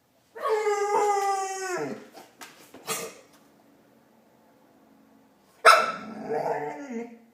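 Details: A pet dog named Marley making a Chewbacca-like sound: a long, strongly harmonic moaning howl, a few soft grunts and a quiet pause, then a sharp bark-like burst trailing into a rough groan.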